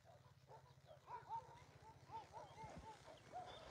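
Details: Puppy abandoned outside Takis Shelter, a little girl carrying many ticks, cries in a string of thin, high, bending whines, about a dozen in under four seconds, faint against a constant low background drone.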